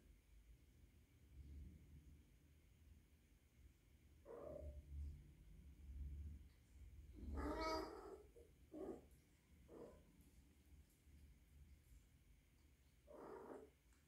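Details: A young rescued female kitten of three months, living indoors and possibly in heat, makes a series of short calls. One louder, harmonic-rich cry near the middle is surrounded by softer, brief murmuring calls at irregular intervals over low background rumble.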